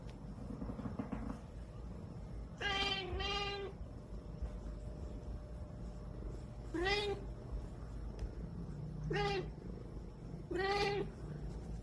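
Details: Cat grumbling and whining at sleep time: a double meow, then three more plaintive meows spaced two to four seconds apart, rising slightly at the end, against a soft steady hum indoors.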